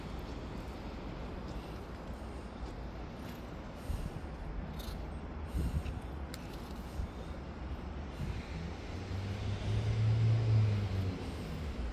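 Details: Street scene with stray cats where steady low traffic rumble dominates, swelling louder toward the end as a vehicle passes, with no clear cat voices.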